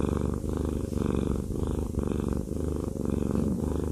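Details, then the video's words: Fluffy male cat purring while receiving a massage indoors; steady, deep rumbling purr pulsing continuously with a regular rhythm, loud and close, with no other notable sounds. "Haku Fluffy Cat has a Massage/ ASMR"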